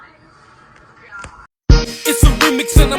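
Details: Quiet background hum and faint voice, a brief silence, then loud hip hop music with beats and rapping.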